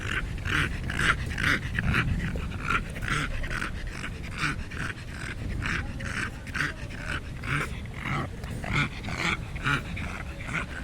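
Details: Rapid, husky snuffling grunts, roughly two a second and uneven in spacing, from a fat little lost dog that sounds like a pig, with a low murmur underneath.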